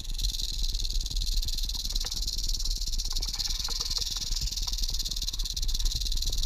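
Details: Rattling western diamondback rattlesnake encountered while hiking in Wichita Mountain Wildlife Refuge, southwest Oklahoma, captured on a GoPro mounted on a selfie stick; an unbroken high sizzling buzz runs throughout, with rapid low knocking pulses and a few faint clicks.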